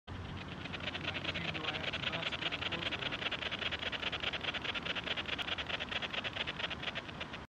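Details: A pair of Long-winged Coneheads at Rockford Fields LNR, Hull, on 1 November 2022, produce a steady, rapid ticking buzz, heard through a bat detector tuned to 25 kHz.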